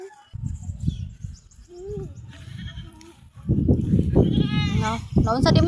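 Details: Goat bleating during feeding, a few short, tremulous bleats late in the recording, overlapped by people talking and a child's voice throughout.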